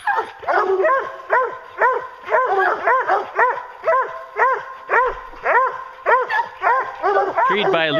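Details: Hounds baying at a treed bear during a bear hunt, loud rhythmic arched howling bays repeated about twice a second, several dogs overlapping.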